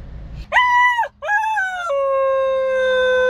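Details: A young dog howls while coming out of anaesthesia after neutering surgery: a short wavering howl, a brief break, then a longer tone that drops slightly and holds steady to the end.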